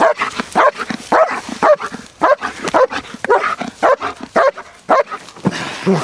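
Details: German Shepherd female named V-Miss-Mona vom Karlmitblick, SchH3, black and red, barking during IPO protection training; loud, rapid barks repeated about twice per second in uneven bursts, with a few short gaps.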